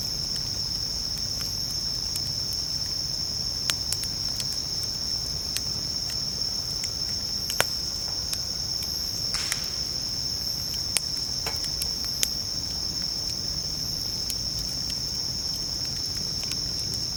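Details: Bell crickets keep up a sustained, shrill ringing tone near a campfire while camping; the fire crackles irregularly with occasional louder pops and a brief hiss midway.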